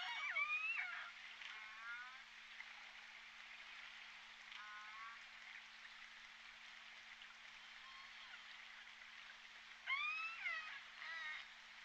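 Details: J Pod orcas picked up on the Point Robinson hydrophone on 14 December 2021: bursts of sweeping, harmonic whistled calls rising and bending, clustered at the start, near two and four and a half seconds, and loudest around ten seconds, over steady underwater hiss.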